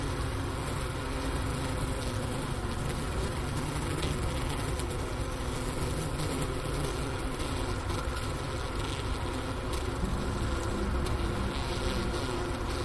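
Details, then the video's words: Wintering honey bees inside a hive, Ohio State University Wooster campus, January 16, 2024, around 4 PM at 15 °F, recorder near the inner-cover hole next to leftover sugar brick; continuous low buzzing drone, even and unbroken throughout. "Bee Hive Sounds in Winter"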